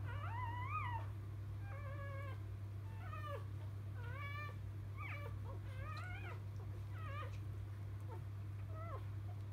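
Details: Freshly born field-line Labrador Retriever puppies, dam biscuit the 2017 JFA Grand Champion; rapid series of short, rising-and-falling squealing cries roughly every second, some overlapping, over a persistent low hum.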